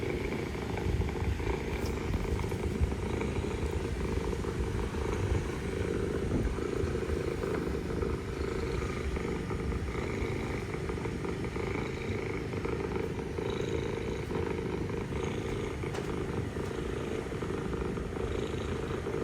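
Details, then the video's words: Mother cat purring while talking to her kittens, a stray in Istanbul: a steady low rumbling purr that runs unbroken through the whole stretch, with faint higher clicks and a soft background hum. "Mother cat purring, mother cat talking to kittens"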